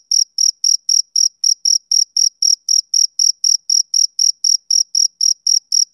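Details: Male cricket chirping steadily, each short, pure high-pitched pulse repeated about four times per second in an even rhythm. The chirps carry a faint higher overtone, with no other sounds present.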